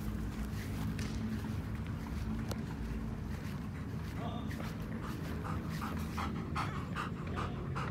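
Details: Nana, a three-legged German Shepherd, running on a walk and in good form; soft rhythmic panting breaths come in quick bursts over a steady low rumble of wind or traffic.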